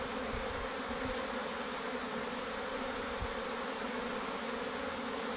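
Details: Worker honey bees leaving the beehive make an even, continuous buzzing hum with a low steady tone band, few low thumps, and no other sounds.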